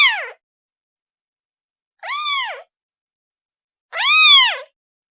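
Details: Kitten calling for its mother, giving arched, harmonic-rich meows that rise and fall; a cut-off call opens, then two full meows about two seconds apart, the last loudest, with silence between.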